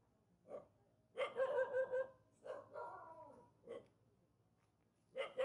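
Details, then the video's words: Barking from a villagers' dog living near a mountain, upset at meeting people: single sharp barks mixed with drawn-out whining, yelping barks, irregularly spaced over a few seconds. "Barking dog of villagers living near mountain feeling unhappy meeting people."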